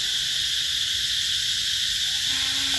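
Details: Cicadas singing in summer at Mỹ Luôn, an eco-tourism spot in Vietnam's Mekong Delta, 2021. A constant, piercing buzz drones throughout, and a faint low steady tone enters near the end.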